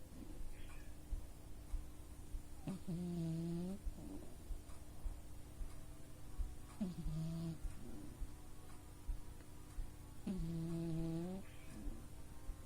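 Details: Sleeping house cat Oz, a male pet, snoring extra loud: three evenly spaced, buzzy, tonal snores, each about a second long and repeating roughly every four seconds, against a faint constant background hum.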